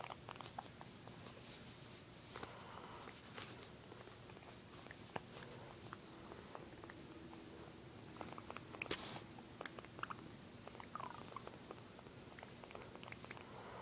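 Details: Guinea pig (Cavia porcellus), purring call.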